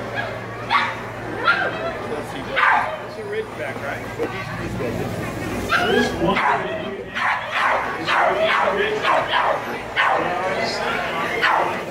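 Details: A 4¼-month-old Rhodesian Ridgeback puppy at a lure coursing event gives sharp, yelping barks, sparse at first, then a rapid run of repeated yips in the second half, over a loudspeaker announcement and crowd talk.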